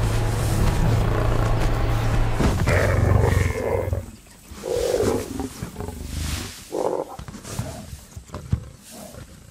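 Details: A lone lioness hunting a big male kudu at drying waterhole trenches gives deep, rumbling roars and harsh growls over a swell of dramatic music.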